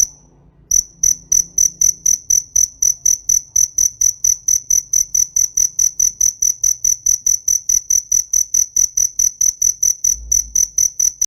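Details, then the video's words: Cricket song beginning after a short silence: a long run of crisp, high-pitched chirps pulsing quickly and evenly, with a faint low rumble beneath. "TIẾNG DẾ KÊU"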